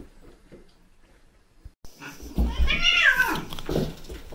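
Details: Bengal cats indoors: silver male kitten Shiro and brown female kitten Simmi playing mischievously with adult cats Tom and Mimi; after a quiet start, one loud harmonic meow swells, bends up and falls over about a second, with soft rustling.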